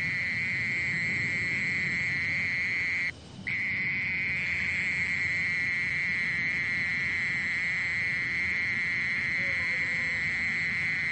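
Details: Mole cricket trilling steadily at a single high pitch, recorded by the National Institute of Biological Resources in 2020; a short break interrupts it after three seconds, and the unbroken buzz then continues to the end.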